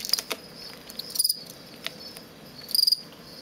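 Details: A male fall field cricket in a plastic bin, bred from crickets collected beside a road outside Lethbridge, Alberta, produces aggressive song used in contests between males. Short high pulsed chirps of four or five pulses repeat roughly every one and a half seconds.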